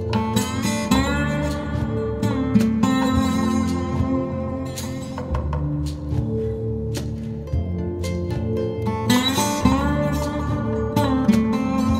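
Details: Plucked guitar music with strummed chords and picked melody runs throughout, no animal sounds present.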